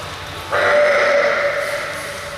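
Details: A female California sea lion reacting to her reflection in a mirror gives one long, hoarse, bleating call that holds steady and then fades slightly.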